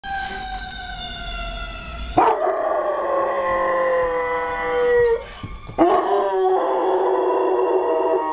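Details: Vinnie, a pet Doberman-Labrador mix living near a fire department, howls at a fire truck, which happens several times daily. A steady tonal sound comes first, then two long howls start abruptly and drift slowly downward in pitch.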